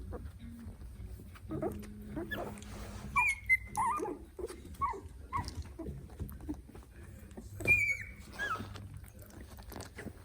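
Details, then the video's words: Three-week-old Italian Greyhound puppies exploring their world, filmed on a phone: thin high whistled squeaks near two seconds and again near eight, with soft snuffles, grunts and rustling between them. "Cute puppies making funny noises Italian Greyhound (3 weeks old)"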